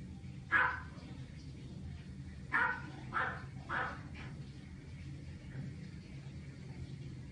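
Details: American Shorthair cat, 13-year-old, angry while being dried after a medicated fungal-treatment shampoo; three or four short harsh yowls spaced over a few seconds above a steady low hum of a dryer.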